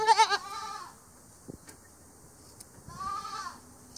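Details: Angora goat on a farm shearing stand, clipped by hand with scissors rather than electric shears; a short tremulous bleat opens, then quiet snipping and handling, then a second drawn-out, wavering bleat near the end.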